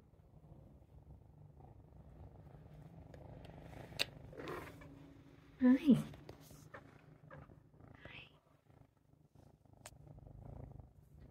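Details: Jay, a domestic cat, purrs contentedly indoors while watching birds out the window. A steady, low rumbling purr runs through the whole recording, broken midway by a short burst of human speech and a few faint clicks.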